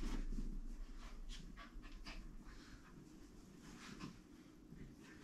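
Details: Benji, a young pet dog born 22 June 2022 and adopted by a family, pants during play; rapid, even breathy bursts roughly four per second, fading slightly over time, with soft indoor rustling.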